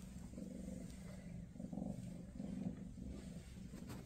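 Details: Maine Coon cat Freya with her kittens ahead of their move to new homes; a soft, low vibrating purr in gentle surges, growing slightly louder midway, over a quiet room hiss.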